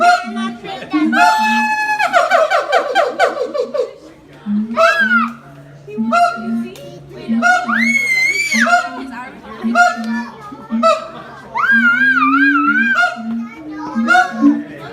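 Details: Siamang parents calling together in high and low harmony, a sound said to be audible four kilometres away; the youngster makes no sound. A fast barking trill, then rising wavering whoops over a steady run of deep booms.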